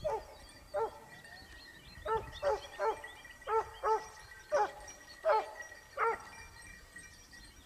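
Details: Topsfield Lebrera's Basset Hound pack hunting in Spain, second season 2015-16: loud, clear, tonal bays ring out about ten times, spaced unevenly every half second to a second, with soft high chirping in the background.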